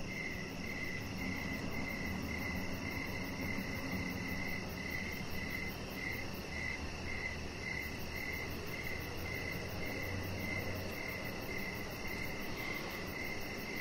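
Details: Crickets chirping outdoors in the evening beside a deck where a chihuahua puppy lies. Steady mid-pitched chirps repeat about twice a second, briefly pausing midway. A fainter rapid high pulsing runs above, over a low constant hum.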